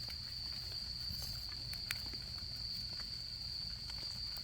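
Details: Autumn insects at a campsite, giving one continuous high, steady trill without a break, while a campfire crackles and pops irregularly underneath, with soft low rumbling in the background.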